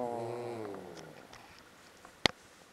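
A Cairn Terrier gives a drawn-out, grumbling moan that slides downward and fades over about a second.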